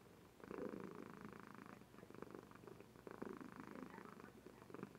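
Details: Sleeping female Somali cat indoors purring, webcam recording: continuous grainy purr pulsing in even cycles, louder stretches alternating with slightly quieter breaths roughly every one and a half seconds.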